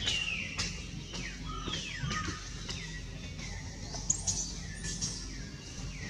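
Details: Baby monkey Jody cries as mother Jane draws near to save him. Repeated high, thin wails slide downward one after another, with sharp clicks and a steady low background hum.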